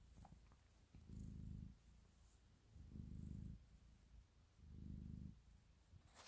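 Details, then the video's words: Cat kneading and purring with affection, a soft deep rumble broken into three louder throbbing swells spaced about two seconds apart, with a faint click at the close. "Cat Purr, Kneading and Love"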